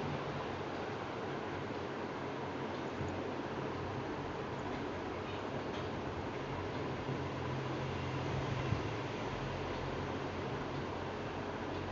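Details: Continuous broadband hiss with a low mechanical hum throughout, and no animal voice.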